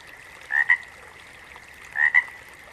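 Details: Two frog calls about a second and a half apart, each made of a short rising croak and a clipped second pulse, with a faint steady droning chorus behind.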